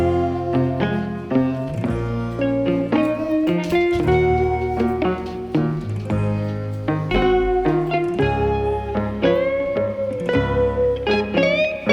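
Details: Steady plucked-guitar music in a blues style plays throughout, with sliding notes and no animal voice.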